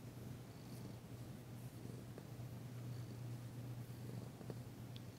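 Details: Danci, a tentative female cat, purrs during a massage, the first purring heard since she arrived. Low constant droning hum with a few soft clicks and faint higher squeaks.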